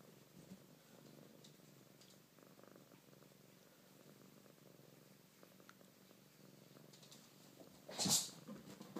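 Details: Siamese cat Maple purrs as the others play around her, a continuous even low-pitched rumble, broken near the end by a sudden loud clattering knock.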